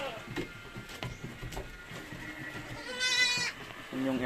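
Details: Purebred Anglo-Nubian goats, two of which have just given birth: a short, strained, harmonic bleat stands out near the end, then another begins as the clip closes, with people talking throughout.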